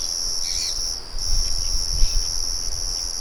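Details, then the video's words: Crickets outdoors with birds and a mill murmuring nearby; a steady high trill carries on while low rumbling thuds and a short bird chirp near the start share the scene. "Sonido de Grillos y Pájaros"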